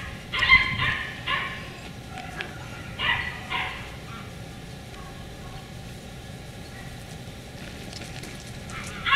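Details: Beagle puppies of the Camo and Buddy litter, filmed 4/27/20, give bursts of high, sharp yips in clusters near the start, then a quieter stretch of hum before one more yelp at the close.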